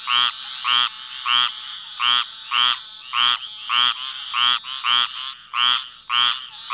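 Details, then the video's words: Repeated frog croaks, each short and buzzy with stacked harmonics, coming about every half second in a slightly uneven rhythm, some overlapping fainter croaks between them; background otherwise quiet. "Frog sounds"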